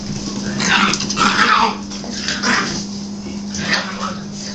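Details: Nine-week-old puppies playing on March 1, 2011, whining and yelping in loud, strained bursts, with a steady low hum underneath.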